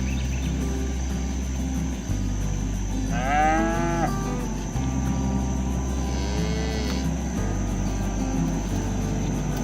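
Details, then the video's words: Herded cattle in a rural village pasture moo while being driven back to the barn, calling their companions home. Two drawn-out lowing calls stand out, the second falling in pitch, over a steady low drone and faint background music. "Bunyi sapi lucu"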